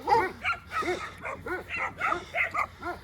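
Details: Stray dogs in a shelter habitat barking at newcomers: a steady series of short, sharp barks, about two or three per second, each clipped and bright, with no other clear sounds.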